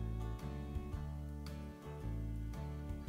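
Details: Steady plucked guitar music plays throughout, with no animal voice heard. Low, sustained notes and regular strums fill the passage from start to finish.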